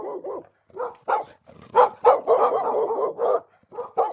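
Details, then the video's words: Fighting dogs: short, deep, gruff barks and growling bursts in quick, uneven succession, building to a run of harsh snarls in the middle before breaking into separate barks again. "Tunog ng NAG-AAWAY NA MGA ASO | Sound of FIGHTING DOGS"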